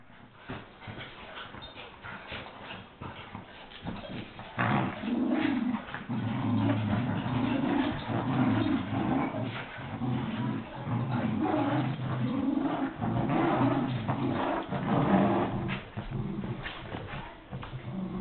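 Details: Two Miniature Schnauzers attacking a giant stuffed teddy bear give low, rumbling growls mixed with short yips and whimpers in rough, play-like bursts.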